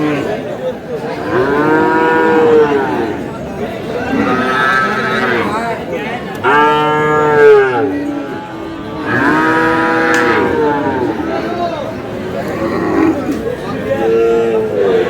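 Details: Sahiwal bull market scene in Kurigram, Bangladesh, 5 May. Five or six separate arched moos come every two to three seconds, each rising then falling, with the crowd's chatter between them.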